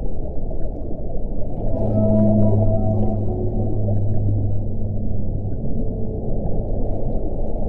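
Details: Whale call: a low, steady tonal moan with stacked harmonics lasting about four seconds, then fading, over a constant deep rumbling wash of underwater noise.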